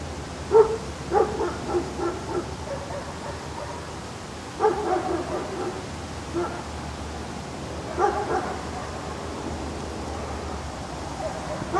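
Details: Cute puppy from a baby-dog compilation producing clustered high-pitched yaps, three or four quick barks per burst, the bursts returning every few seconds against a low constant rumble.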